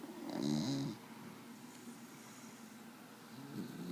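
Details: Desi, a dog, snores while sleeping: one short, throaty snore with a faint rattling tone, then soft breathing and a weak second snore starting at the end.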